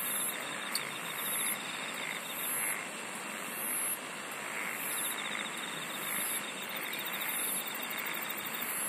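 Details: Continuous insect chorus with a high ringing band, a faint beaded trill, and bright pulsed phrases repeating about every 1.2 seconds throughout; one sharp click near the start.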